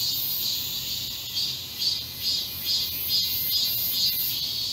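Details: Summer cicada chorus in a garden under blazing heat, 31 July 2022: intense high buzzing rising and falling in even, rapid pulses a little over twice per second, with a faint steady tone underneath.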